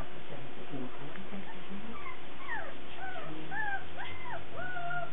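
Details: Several Cardigan Welsh Corgi puppies on 17 March 2008 whine in thin, arching tones, each rising then falling, growing longer and clearer toward the end over faint background murmur and a constant low hum.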